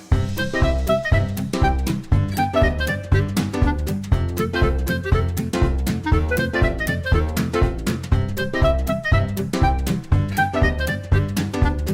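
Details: Lively jazz-style music with saxophone-like melody and steady beat fills the whole stretch; no animal voice is heard.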